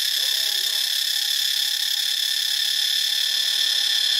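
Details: Steady, piercing cicada drone recorded in Ubon Ratchathani, Thailand. A dense high hiss holds at even loudness from start to finish, with a brief faint squeak at the very beginning.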